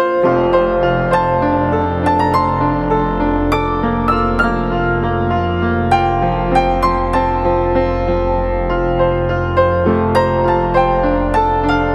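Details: Gentle, sustained piano chords and melody fill the whole recording. No bird calls or other animal voices can be picked out above the music.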